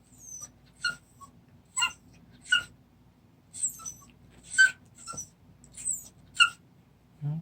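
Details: A 26-day-old puppy whimpering indoors at play: thin high whines and squeaks in short bursts, about one every second, with a faint low hum beneath.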